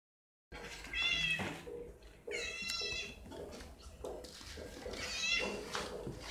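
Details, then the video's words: Overly excited domestic cat meowing very loudly indoors: three drawn-out, high, harmonic meows about two seconds apart, each swelling then fading, with a quiet room background. "Overly excited cat"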